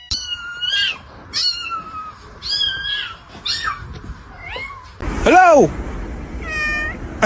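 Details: Cats indoors after hearing a can open; a series of loud, drawn-out meows rising and falling in pitch, about one a second, ending in a shrill wavering cry, with a woman's voice speaking.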